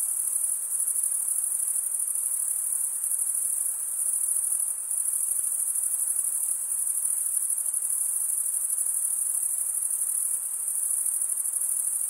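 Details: Crickets chirping by stridulation, rubbing one wing's toothed vein against the other, as a continuous shrill high-pitched trill that holds steady without pauses for the whole stretch, with faint soft hiss beneath and no other clear sounds.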